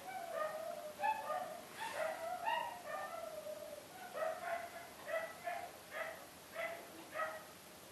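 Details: Dogs bark in a rapid series of high, yelping yips, some in quick pairs, with brief pauses between bursts and a faint hiss behind.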